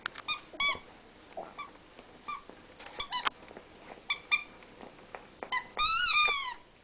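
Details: Indoor mock battle between Rat Terriers Newton and Twinkie; scattered thin squeaks and soft clicks, ending in a loud, drawn-out wavering squeal.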